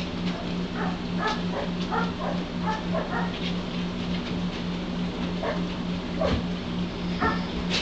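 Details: Eleven-day-old White Shepherd puppies from one litter, eyes and ears starting to open, produce a run of thin, rising yelps and whines, several quick calls in the first three seconds, then softer squeaks, with a constant background hum.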